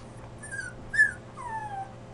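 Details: Dog whimpering in distress: three thin, high whines, each sliding gently downward, the middle one shortest and loudest, over a faint steady low hum in a quiet room.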